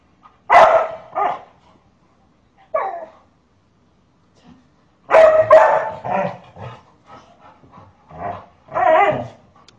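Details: Household dog protecting a boy from his mother's punishment, giving scattered sharp barks: a loud single bark, a softer one, then a cluster of quick yapping barks and a final louder bark after a pause.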